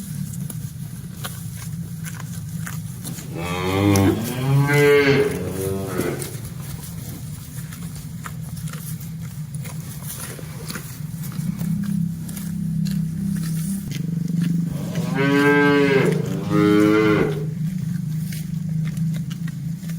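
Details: Village cattle herd returning along a quiet village road to the pen after a day in the pasture, herder following, afternoon wind; two long drawn-out moos about eleven seconds apart over a constant low rumbling background.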